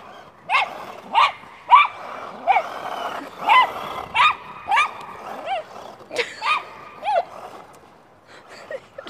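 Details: Welsh Terrier chasing a remote control car, producing a steady series of sharp, squeaky yelps about every half second, each a quick rising-falling bark, fading out near the end.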